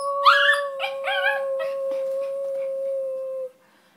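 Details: Pet terrier singing: three or four quick rising yelps blend into a sustained, wavering howl lasting about three seconds, over a constant steady tone that ends abruptly.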